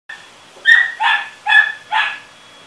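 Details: A dog gives four sharp, fairly high-pitched barks in quick succession, about half a second apart, over a quiet background.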